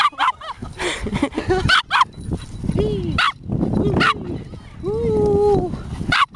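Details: In Kasai Seaside Park, Chip the Border Terrier plays with a twig off the ground, mixing quick high barks with drawn-out, sliding whimpers and whines. A low rumble of ambient noise runs underneath.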